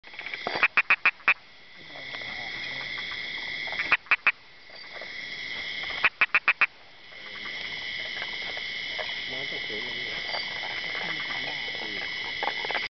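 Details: Narrow-mouthed frog at Sakaerat Environmental Research Station, Thailand: a steady high buzzing chorus runs throughout, with short bursts of sharp, rapid clicking pulses near the start, middle and later on.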